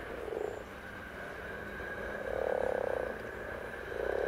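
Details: Common frog calling: soft, low, purring grunts come in three separate bursts, a short one near the start, a longer rolling one in the middle and another at the end, over a steady background hiss.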